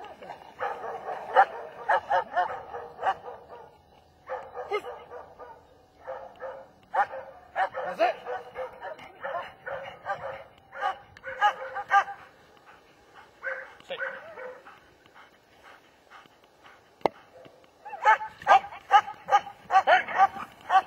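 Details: German Shepherd barking in loose, uneven bursts, several sharp barks in quick succession, then short pauses, then another volley near the end; a few clicks and knocks in the background.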